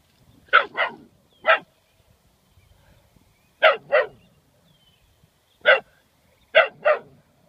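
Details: Young German Shorthaired Pointer puppy, 11 weeks old, barking at a turtle by the roadside: clustered sharp barks in groups of two, one, two, one and two over several seconds, with quiet gaps between.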